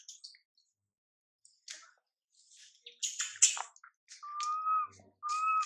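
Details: Young monkey MILA, whose mother MILIKA ignores her, gives scattered faint squeaks and clicks, then two drawn-out whistled whimpers near the end, each level and about a second long.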